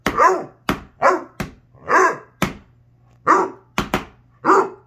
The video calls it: Vocal Basset Hound